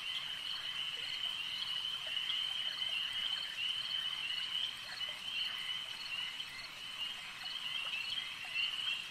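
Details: Frogs calling at a lake: a dense chorus of many overlapping high, shrill trilled calls merging into a steady ringing drone, with faint irregular pulses rising through it and no other clear sounds.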